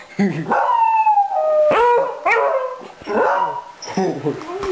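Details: Three beagles, a mother and her two offspring, howl as a group with their owner howling along, each voice a drawn-out, mournful bay that bends and falls in pitch, overlapping in ragged waves, when the owner gets home.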